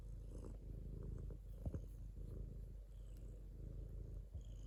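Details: Low vibrating purr of a domestic cat running without pause, rhythmically pulsed, with brief clicks and small movement sounds.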